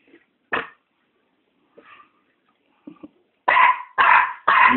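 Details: Chihuahua puppies on a Dirty Paws Day, 26 September, playing indoors: a few soft, scattered sounds and a short voice, then three loud, sharp barks in quick succession, about half a second apart.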